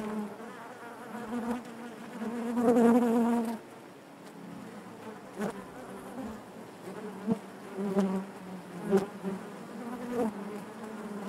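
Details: Inside a honey bee hive, a thick humming drone grows loud for a few seconds early on, then drops to a softer murmur broken by short sharp buzzing bursts and faint clicks.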